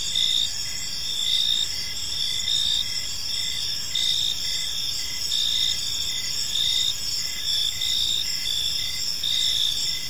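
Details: Gentle chirping of crickets in a serene park as evening falls: several insects overlap in a high, buzzing chorus, with pulsed bursts swelling roughly once per second.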